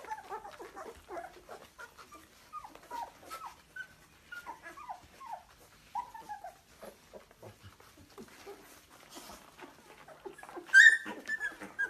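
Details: Young Labrador Retrievers in Delhi, India, giving many short, quick falling whines and yips scattered through the recording, ending with one louder, higher squealing yelp, amid light clicks and handling noise.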